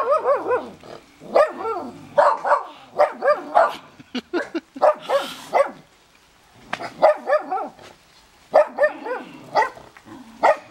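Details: Dogs barking while snow falls at a house in Big Bear, answering the neighbours: quick clusters of bright, harmonic barks, a short lull in the middle, then more bursts to the close.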